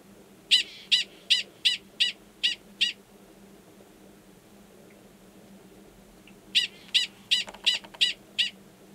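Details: Gunnison's prairie dog male in the wild, Valles Caldera National Preserve, New Mexico, March 2017, sounding a mating call near an estrous female's burrow; seven crisp high barks, a long quiet gap, then another run of seven.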